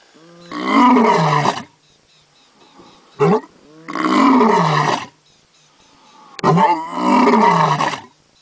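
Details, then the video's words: Lion roaring during an attack on Cape buffalo, in which a lioness was nearly struck by a bull's horn: three long, deep, harmonic roars of about one second each, plus one short burst, separated by quiet gaps. "Lion attack Manificent Powerful Lion Roar"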